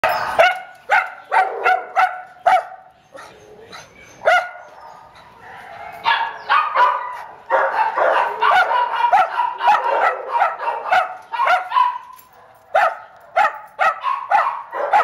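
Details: Approximately six-year-old neutered male Chihuahua at an animal care center in Downey, California, in November 2015, giving a long run of sharp, high yapping barks in quick bursts, with short pauses and a stretch of continuous yipping.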